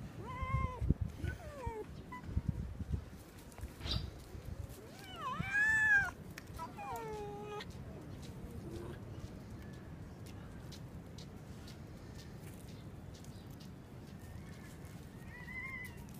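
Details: Fox barking: a burst of harmonic, wavering yelps with rising and falling pitch in the first seconds, another loud cluster around five to six seconds, then quieter scattered calls over a steady low background rumble.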